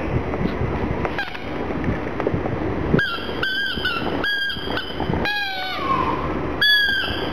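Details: Gong Fu, a black pug, cries, sad over a little ball. Short high whines are repeated about every half second in the second half, some bending downward, over a steady low background rumble.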